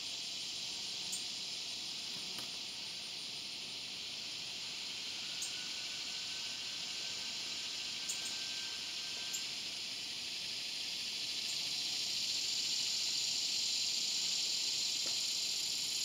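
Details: Continuous high rasping drone of a swamp cicada, Neotibicen tibicen, level for most of its length, then swelling louder and harsher over the last few seconds, with a faint sliding whistle-like tone briefly audible midway.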